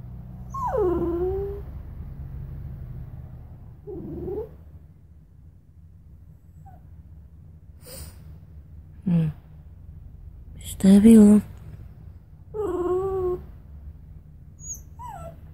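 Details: Bichon Frise dog whimpering and whining, several high wavering falling whines at intervals with short yips, over a low steady hum, with a person speaking and a brief clatter.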